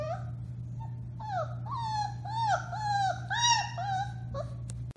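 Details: Alaskan Malamute puppies, four weeks old, Bema and Cole litter, March 30, 2021, give a run of wavering, overlapping whines and short rising howls, several voices at once, with a constant low electrical hum behind them.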